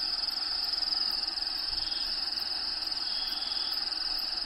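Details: Crickets heard from within a bearded dragon's vivarium, a shrill, rhythmically throbbing trill holding a steady pitch, with natural habitat sounds for Diego the dragon playing in the background.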